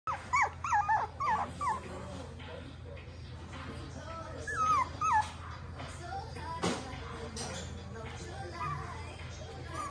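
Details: Toy poodle whimpering: clusters of short, high, bending whines in the first two seconds, then another brief group near the fifth second, over a low room hum with faint speech.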